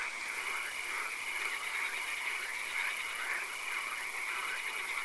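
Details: Swamp at night with occasional rain, frogs calling: roughly two croaks per second rise and fall in uneven overlapping waves, accompanied by a persistent high whine and constant hiss.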